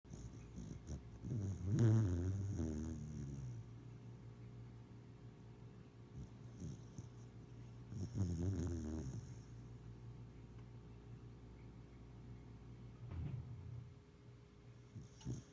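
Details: Pet dog snoring while napping under a kotatsu. Three loud, rasping, low snore bursts come at about 2, 8 and 13 seconds, with quieter breathing between them and a steady low indoor hum.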